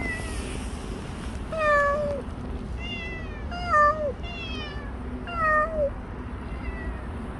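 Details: Stray cat Bolt, a visitor for a year and five months, heard in a last recording giving three clear drawn-out meows, each bending downward at the end, spaced about two seconds apart against a quiet low hum.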